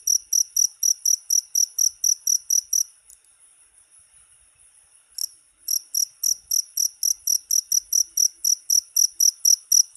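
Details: Cricket call meant to scare off rats: rapid high-pitched chirps, then about two seconds of a faint thin steady trill, then the loud pulsed chirping returns at the same brisk pace.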